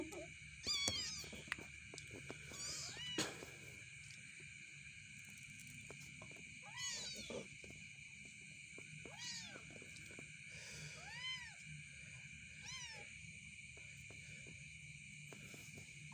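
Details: Domestic cats in a cat house, with an adult cat put together with kittens. High, thin, arching mews repeat irregularly, about eight in all, fairly faint over a steady background hum with occasional clicks.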